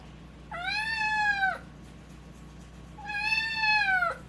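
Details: Naru, a pet cat whose voice is breaking, during its fight with FIP: two long, strained meows about two seconds apart. Each is level, then drops at the end, in a quiet indoor room.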